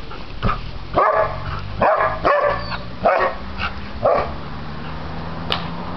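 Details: Male Flat-Coated Retriever and Rottweiler mix, six to seven years old and awaiting adoption, giving about six deep, short barks spaced roughly a second apart, then falling quiet, with a low indoor hum behind.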